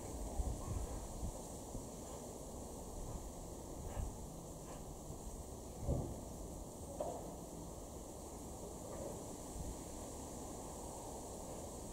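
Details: Steady low wind rumble and broadband noise with a few soft knocks, and no clear animal calls.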